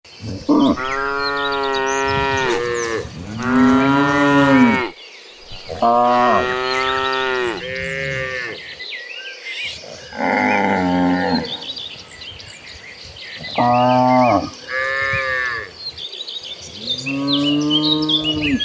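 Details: An agitated herd of cattle running toward green pastures: several cows moo loudly in turn, with long, deep bellows that overlap and brief pauses between them.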